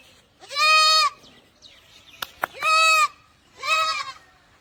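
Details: Barbari goats bleating: three loud, harmonic, steady-pitched bleats about a second long, spaced roughly a second apart, with a couple of sharp clicks between them and a quiet background.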